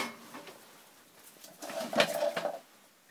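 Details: Two pet ferrets, white Benny and sable Harry, wrestling and playing in a tub after a bath. A brief clucking, tonal chatter rises around the second second, over soft patter and scrabbling in a small indoor room.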